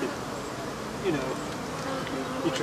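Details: African honey bees from a hive being removed and killed, a dense steady buzzing drone from many insects, with faint human voices in the background.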